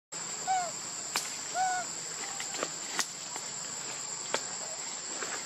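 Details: Baby monkey Lucie begging her mother for milk and being refused: two arched, whistled cries with stacked harmonics, each rising then falling, about a second apart. Steady high insect buzzing and sharp clicks continue throughout.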